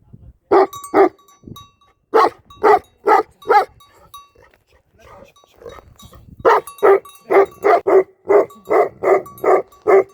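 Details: Tibetan Mastiff guarding a sheep farm in Nepal gives loud deep barks in short runs, broken by a quieter stretch with faint low sounds, then a long fast series of about eleven barks.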